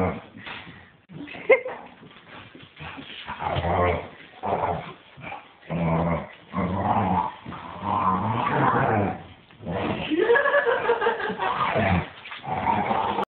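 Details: Staffordshire Bull Terrier. Young Staffordshire Bull Terriers give throaty growls mixed with higher yips, each burst lasting a second or two. The sounds come irregularly, with brief pauses between rumbling stretches.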